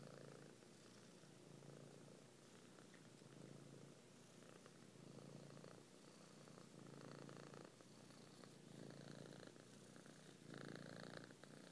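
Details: Kneading house cat, eyes shut, purring on a person's belly: a low buzzing rumble runs without a break, rising and falling in gentle pulses about every second or two, louder near the end.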